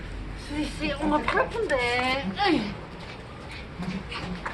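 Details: Sapsali dogs, the mother Suri and her growing puppies, in foster care after birth at the Gimje shelter: high, harmonic whimpering yelps that rise and fall in quick bursts, with human voices talking indoors.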